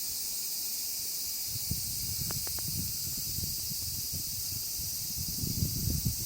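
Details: A large chorus of cicadas: a dense, unbroken high-pitched hiss that holds steady throughout, with soft low thumps and faint rustling beneath.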